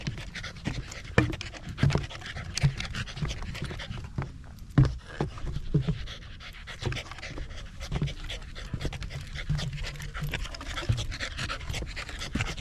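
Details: Rapid, breathy panting from a corgi climbing a small rural mountain on a clear autumn day in Japan, facing the central Alps and Ina Valley. The breaths run on steadily, with brief louder bursts and occasional thuds.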